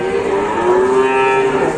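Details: A cow that has newly arrived at a cattle pen, its nose torn through, gives one long, steady, low moo held flat for over a second, with faint background noise.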